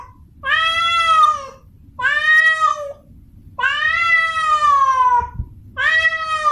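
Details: Female domestic cat in heat calling for a male to mate: four long, drawn-out, richly harmonic yowls, each a second or more, the third one longest and sliding downward at its end, separated by short quiet gaps.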